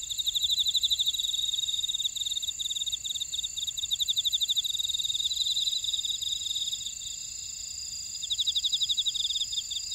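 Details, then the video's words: Many insects chirping together in a Jeju buckwheat field at Ora-dong, Jeju Island, South Korea; shrill, rapid pulsed trills stack in several high bands, pulsing about four times a second, a constant rural night-field texture. "제주 메밀밭의 풀벌레 소리"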